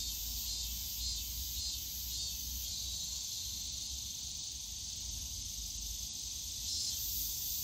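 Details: Cicadas calling in the bamboo grove of Yongsan Family Park on a summer day: a dense, continuous high buzzing drone with slight swells in loudness, plus a faint low rumble of park background noise.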